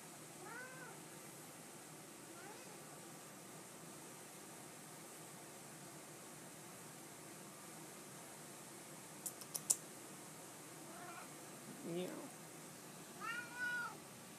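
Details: Pet cat greeting its owner, happy to see them: a series of rising-and-falling meows, one early, another around two seconds, then several close together near the end, plus a brief clatter midway in a quiet room.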